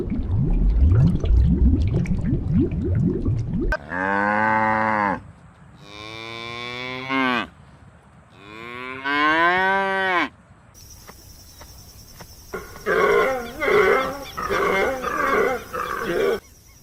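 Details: Cow mooing in a funny farm-animal compilation: three long, drawn-out moos that bend in pitch, coming after a rough, noisy opening and followed by a cut to a different scene with hissing and clattering.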